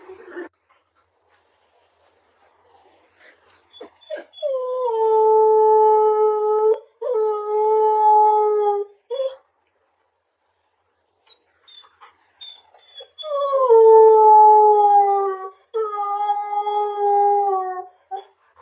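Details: Husky puppy compilation: long sustained howls with a steady harmonic tone, each held about two seconds, in two bouts separated by silence, with brief yips before them.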